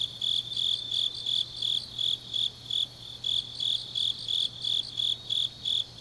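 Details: Autumn grass insects at night in Changnyeong, Gyeongnam, Korea, give bright, high-pitched chirps in an even rhythm, close to three per second, with overlapping fainter trills from other insects and a soft constant low hum beneath.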